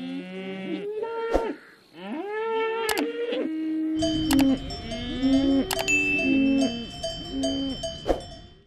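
A cow lows in a series of deep, drawn-out moos, with cowbells clanking in the background.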